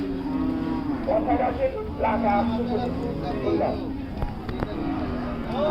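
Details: Cattle at the Hazratpur cattle market, where one animal is described as very wild and snorting: low, sustained lowing tones repeated across several seconds, mixed with voices, background music and a few sharp knocks.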